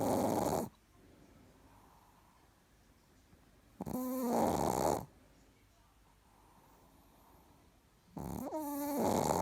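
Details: Snoring Chihuahua called Richard, fast asleep: loud, hoarse snores roughly every four seconds, some carrying a sliding whistled tone, separated by near-silent pauses in a small room.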